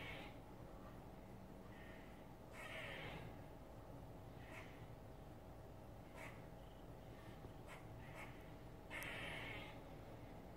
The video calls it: Squirrel making strange noise.